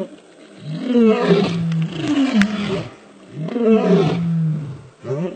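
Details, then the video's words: Male lions roaring: deep, harmonic roars that slide downward, in two long bouts about three seconds apart, each with strained, grunting overtones. "Powerful Roar of male lions"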